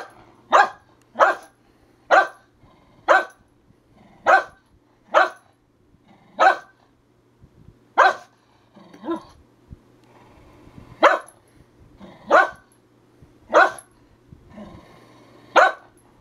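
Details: Herding dog, said to act more like a chicken, barking repeatedly in sharp bursts roughly every second, a steady run of barks with a brief lull midway, low background hum throughout.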